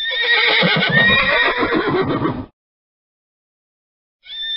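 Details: A horse gives one loud, harmonic whinny lasting about two and a half seconds, with a wavering, slightly falling pitch. Silence follows, then a short steady tone near the end.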